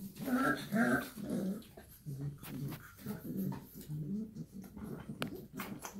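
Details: Shar Pei mother and puppies indoors, two strong harmonic whimpering moans at the start, then a series of short low grunts and growls repeating about twice a second.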